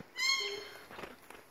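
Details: A newborn female kitten gives a single high, thin meow with a bright, harmonic tone, just before being placed on a man's chest.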